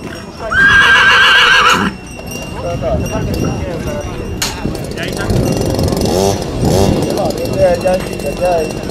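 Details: A horse at a horse show gives one loud, high, quavering whinny lasting over a second. It is followed by people talking, hoof clatter and crowd chatter.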